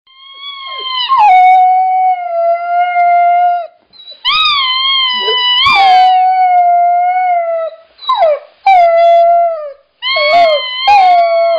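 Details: Siberian Husky howling: long clear tonal notes that start high, drop and hold steady, in a series of drawn-out howls separated by short pauses, with some quick wavering yelps near the end.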